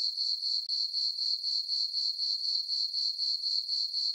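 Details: Crickets chirping on a peaceful summer night in a farm meadow under a full moon; a steady high-pitched trill pulsing about four times per second, even and unbroken, with no other sounds.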